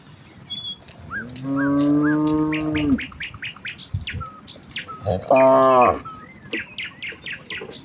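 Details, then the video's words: Morning village cows in a herd heading to the fields, calling out to each other: two drawn-out moos, the first steady and about one and a half seconds, the second shorter and rougher, with birds chirping throughout. "A herd of village cows walk towards the fields with their distinctive "moo" sound in the morning"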